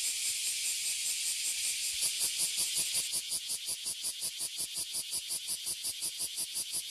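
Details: Large brown cicadas and bear cicadas fill a tree in Toyohashi, Japan, in summer, loud enough to damage hearing. A harsh, hissing, high buzz pulses steadily, nearly three beats per second, growing more distinctly rhythmic partway through.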